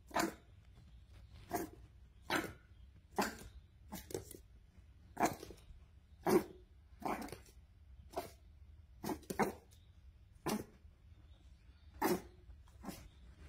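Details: A Boston Terrier puppy barks at its owner, giving short, sharp barks about every second in an irregular rhythm, its whole tiny body jumping with each bark.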